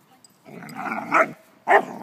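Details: An Alaskan Malamute, playing with another dog, gives a drawn-out grumbling vocalization followed by a short, sharp bark-like yelp.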